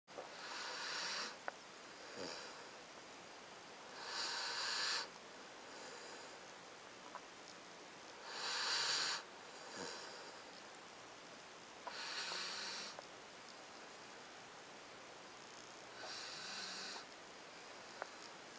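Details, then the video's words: Titan, a 9-week-old Alaskan Malamute puppy, snores while asleep indoors: soft, hissy, breathy inhalations roughly every four seconds with quiet pauses between, and faint small clicks in the background. "Titan the snoring Alaskan Malamute"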